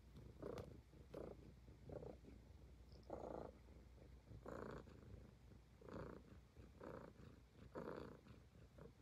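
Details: Highland Lynx cat purring while grooming, a soft continuous low purr with regular breathy swells near one per second, occasional faint ticks of movement between pulses.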